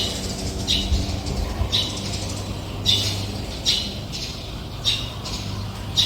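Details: Brown squirrel defending its territory, giving sharp squawking calls repeated about every second, each a short noisy burst, with a low steady hum underneath.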